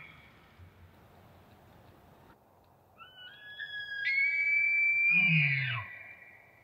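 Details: A bull elk bugles on a cool autumn morning, a rising whistle that holds high and then breaks into a low grunt.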